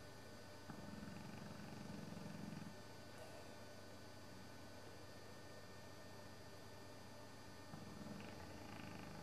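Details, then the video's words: Snoozing English Bullmastiff Sabre, old and asleep one Sunday afternoon, lets out a drawn-out low rumbling snore lasting about two seconds, then a quiet pause before another snore begins near the end; steady hum throughout. "Sabre the Snoring Bullmastiff"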